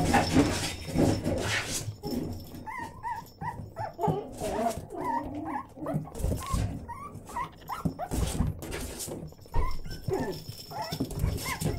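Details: Six-week-old Yorkshire Terrier puppies whimper and yelp in a run of short, high whines that bend up and down, several overlapping and repeating over several seconds, with rustling and soft thumps of movement underneath.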